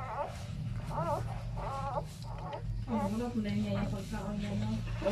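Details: Newborn mixed-breed pup, Labrador crossed with Chow Chow, making three wavering, bowed whimpers in the first two seconds, then lower, muffled murmuring sounds over constant low hum.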